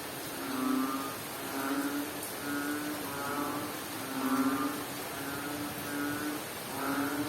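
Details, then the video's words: Frog calling during rain in Bohol, Philippines: low, droning harmonic croaks, each about a second long, repeating unevenly and overlapping, set against a steady hiss of rainfall. "Strange Sound of a Frog"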